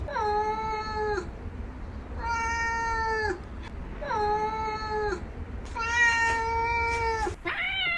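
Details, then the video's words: Domestic cat repeating long, clear meows that hold level and then dip at the close, four in eight seconds, the last one brighter and louder, with a soft rumbling background. "Real Cat Sounds"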